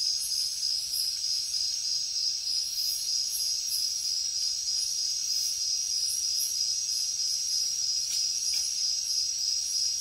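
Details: Jungle crickets chirp through the night in a dense, shrill trill with uneven pulsing, layered over other high insect calls and a brief faint click near the end.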